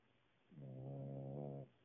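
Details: A Cavalier King Charles Spaniel snores while napping, as it usually does. A single smooth, low, buzzing snore lasts about a second, steady in pitch, and ends abruptly in a quiet room.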